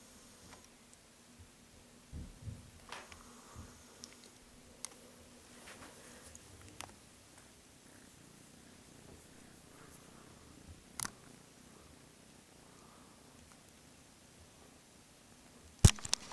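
A Siamese kitten purrs with a soft, steady low rumble, broken by occasional clicks and taps.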